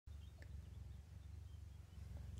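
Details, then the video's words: Domestic cat, a foster mother nursing her five kittens inside a cabinet, purring steadily: a low rhythmic rumble with pulsing texture throughout, a faint click near the start, quiet room. "Is this cabinet purring?"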